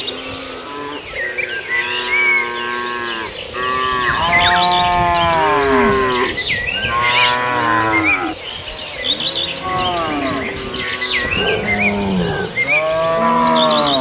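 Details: Herd of cattle grazing in a farmer's rice field; repeated overlapping moos, rising then falling, several cows calling one after another almost without pause, with chirping birds and insects high in the background.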